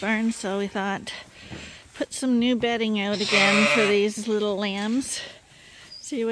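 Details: Bottle-fed lambs, still with their mothers but topped up twice a day on a hand-made feeder, bleat repeatedly in quick succession. Several wavering, nasal cries overlap, some rising at the end.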